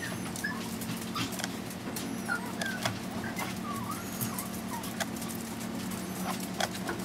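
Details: At five weeks old, Chihuahua pups Zeus, Amun-Ra and Simba make short high squeaks and whimpers, scattered every second or so. Soft rustling and a steady background hum accompany them.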